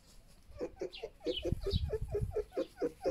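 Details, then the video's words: Foxes Vasilisa and Foxie, kept foxes, feeding each other: a quick run of about fourteen short, mid-pitched yelping notes, roughly five per second, with faint bird chirps high above. "Забавные звуки - Лисы кормят друг друга"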